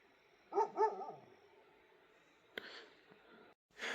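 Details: On a cold, cloudy night in forest near Jim Corbett, a dog that had been barking continuously gives two short, hoarse, mid-pitched barks, with other dogs barking in the distance. Then come quiet, sharp knocks and rustling.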